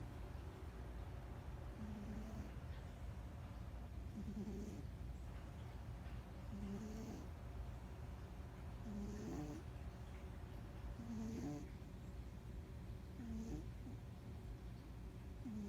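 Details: Domestic cat snoring softly, one breath roughly every two to two and a half seconds, each exhale a low rasp ending in a brief whiny tonal squeak, over a steady low hum.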